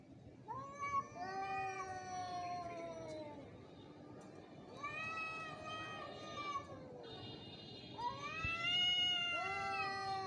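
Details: An angry, fighting cat yowls in long drawn-out wails, each several seconds long, sliding slowly downward then swelling again, three main bouts with a rising, louder final howl.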